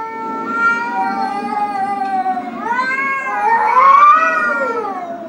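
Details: Two real cats in an angry fight indoors, one drawn-out yowl holding steady pitch before swelling into louder, rising and falling wails near the end, layered with a rough growling undertone.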